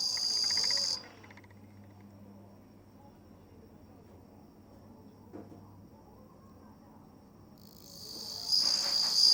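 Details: Bell crickets recorded on 27 August 2020, giving high, shimmering trilled chirps at the start and again near the end, with a quiet stretch of faint background hum in between.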